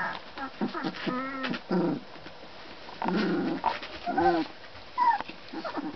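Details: Magyar Vizsla puppies whimpering and yelping in short harmonic bursts. The squeals rise and fall roughly every second, with brief pauses between them and some low grumbling underneath.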